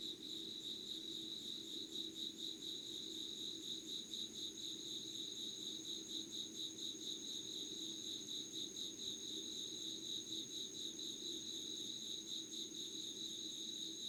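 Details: Early-morning August insects, recorded unedited at 5:00: steady ringing chorus with a beating, shimmering mid-high trill and a sustained thin high note, low droning hum underneath, no other sounds.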